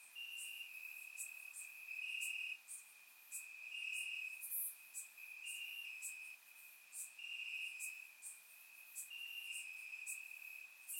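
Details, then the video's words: Bulgarian summer night with crickets chirping in grass: unbroken high trill plus rhythmic pulsed chirps from a chorus of insects, recorded through a surround microphone. "Cricket Sounds - Crickets Chirping at Night"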